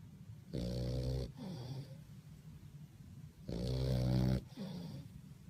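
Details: Bulldog fast asleep at My Second Home in Dubai, October 2015, entered in a snoring competition: deep rattling snores about three seconds apart, each a harsh vibrating inhale followed by a softer wheezing exhale.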